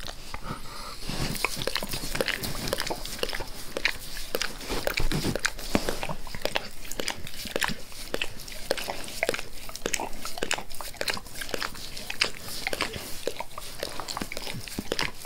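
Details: Max the dog licks his owner's face indoors, eagerly and forcefully: a long, dense run of wet smacks and tongue clicks, steady and rapid throughout, close to the ear, with no speech.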